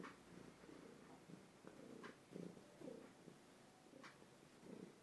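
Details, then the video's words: Pet cat Tishka, two years old and plump, purrs close to a phone indoors; steady rhythmic rumble in breathy pulses about every half second, with a few sharp clicks overhead. "Кот Тишка мурчит в тлф"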